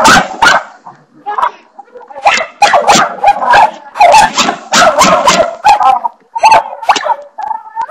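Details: Household dog barks repeatedly at a bathroom doorstopper, rapid bursts of loud harsh barks mixed with yips and a sustained whine toward the end.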